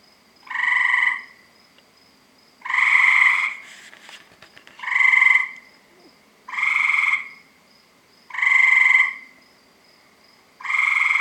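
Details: Tree frogs around a house, calling from about 7 PM every night, give loud, nasal, honking croaks, each about half a second long, repeated every couple of seconds.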